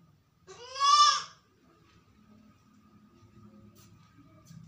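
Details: Indoors and alone, a sick goat bleats once, loud and nasal with rich harmonics, for under a second, then a faint steady hum and soft low murmuring continue in the room.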